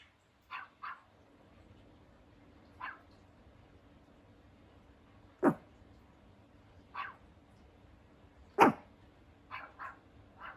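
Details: Pomeranian puppy Hendo, two years old on his birthday, gives scattered yips and two loud sharp barks at irregular intervals over ten seconds, with a faint steady hum in the background.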